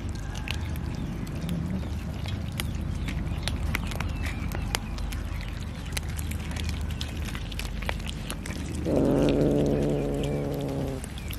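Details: Pet cat being fed fish: a single drawn-out, slightly falling meow near the end, after a long stretch of low background rumble and faint clicks.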